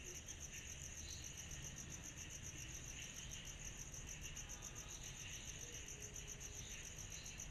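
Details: A summer night with cicadas: unbroken shrill pulsing at a quick, even rate, layered over a softer insect hiss and a persistent deep hum.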